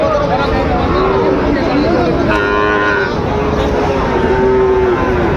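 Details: Sahiwal bull calves at the start of trading at Raniganj cattle market in Dinajpur, 22 January 2026: drawn-out, level moos repeat through a dense bed of bargaining voices and market bustle.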